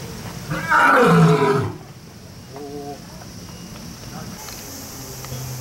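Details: Single heavy, falling roar of a lion or tiger kept at Kyoto City Zoo, Japan, lasting about a second, followed by a quiet stretch with faint distant voices.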